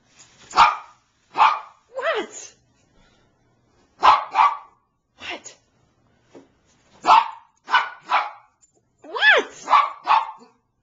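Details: A female Bichon Frise named Niqqi barks insistently for her squeaky toy: repeated short barks in groups of two or three, some with a rising whiny edge, spaced by brief silences.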